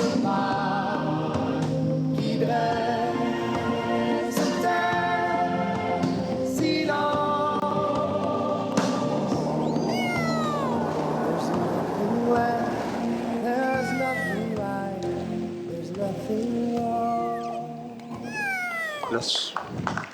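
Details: Orcas of northern Patagonia, Península Valdés, Argentina, give harmonic pulsed calls that sweep up and down, over a steady choir-like tonal background.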